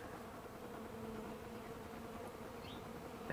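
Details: Kept bees flying on December 2, 2012, at 65 degrees outside, gathering leftover cappings and watered-down honey set out for them; a steady, low, even hum of many wings with faint passing tones.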